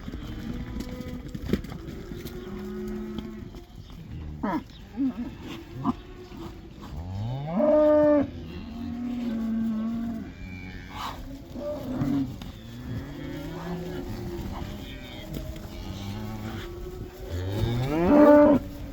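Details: A herd of black cows let back into pasture in the Netherlands for the cow dance; many overlapping moos and lowing calls from several animals, with two loud bellows standing out, amid thumps and field noise.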